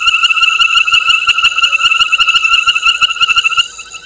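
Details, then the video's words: Frog calling at night, 21:05 on 22 November 2019, at Gowrie dam waterhole on Djuma Game Reserve, Sabi Sand Wildtuin, South Africa, picked up by a live waterhole camera: loud, rapid, rattling pulses with a bright ringing tone, fading near the end. "Djuma: Frog"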